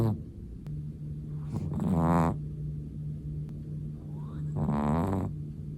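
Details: A Chihuahua snores in its sleep, two drawn-out rasping breaths about three seconds apart rising in pitch as they build, over a constant low electrical hum.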